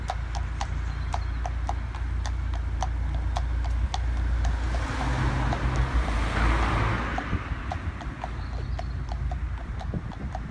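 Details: Friesian mare out hacking, described as bomb proof: steady clip-clop hoofbeats at roughly three to four per second over a loud low rumble of wind or traffic, with a swelling broadband noise midway.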